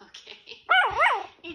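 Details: A 9-week-old Chihuahua puppy playfully barks at puppy TV on a laptop, disliking its noises: a shrill, high yip that rises and falls in two quick arcs.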